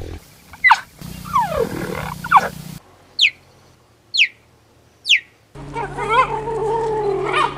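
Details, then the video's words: Cheetah giving sharp, high, bird-like chirps that sweep steeply downward, spaced about one second apart across several cut segments, with a steady low hum underneath and a wavering call at the end. "The sounds that Cheeta makes"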